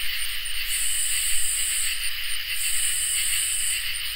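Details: A summer night chorus of crickets and katydids. Continuous high, shimmering trills run underneath while the highest buzz pulses in quick short bursts, then holds in long sustained stretches.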